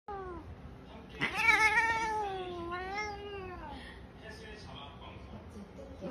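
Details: An aggressive cat gives a long, drawn-out wavering yowl that rises sharply, wobbles for about two and a half seconds, then fades, preceded by a short lower moan; quiet room background.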